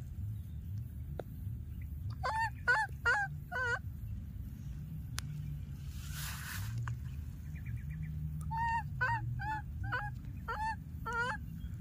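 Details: Young monkey calling after losing its playmate. Two bursts of four to six sharp, nasal, harmonic cries, each bending up or down in pitch, with a pause between bursts and constant low hum behind.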